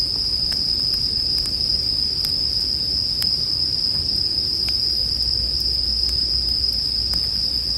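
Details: A sustained, piercing bell cricket trill holds at one high pitch throughout, accompanied by intermittent crackling pops from a campfire and a low muffled rumble.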